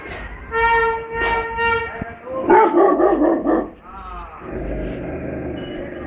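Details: A very angry Rottweiler in the street, confronting an elephant, barks in a rapid, rough burst after a long, steady tonal cry.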